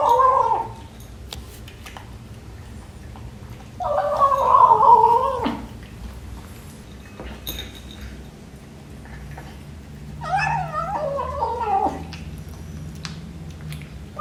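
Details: A 12-week-old British Shorthair kitten meows while eating breakfast indoors: three drawn-out, wavering, harmonic mews, the second the longest at nearly two seconds, separated by quiet pauses with faint clicks from eating.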